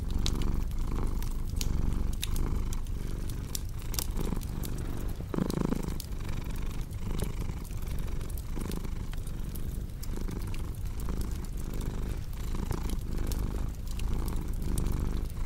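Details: Continuous deep purring from a cat, softly pulsing with its breaths, while a fireplace crackles and snaps steadily; a brief louder rustling burst near the middle, in a relaxation mix for sleep.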